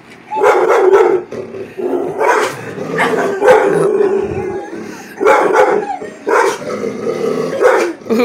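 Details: A Bull Terrier reacting to a baby Yoda toy he dislikes gives a run of mid-pitched, moaning barks and grumbles, with a person's voice nearby.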